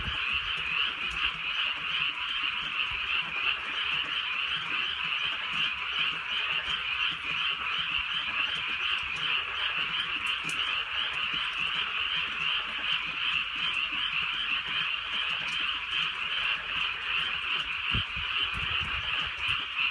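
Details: Frogs calling on a rainy night in the Korean countryside, a dense chorus of rapid pulsed croaks in two bands, one high and one lower, pulsing about 160 times a minute, with faint rain patter beneath.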